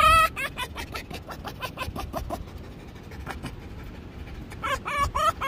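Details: Finnegan the fox giving its daily "hehehe" sounds: rapid runs of short, harsh, clicky pulses, loudest in bursts at the start and near the end, with quieter chatter between.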